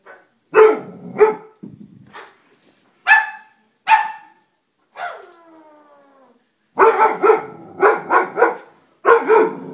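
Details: Dobermann puppy scared of a stuffed toy, giving sharp high barks in paired bursts, one drawn-out whining howl sliding downward mid-clip, then a rapid string of yapping barks; music plays faintly.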